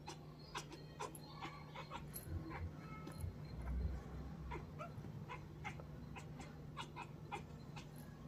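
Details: A young female kitten chatters at birds she is watching, soft dry clicks and ticks scattered a few per second, over a steady low indoor hum and faint high whine; she has chattered since very young.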